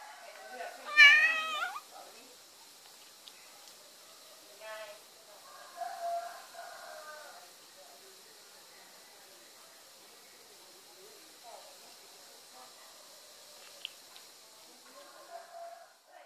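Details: Kittens and cats meowing indoors: one loud, high harmonic-rich meow near the start, then several softer, shorter mews and squeaks spaced through the rest, with quiet gaps between.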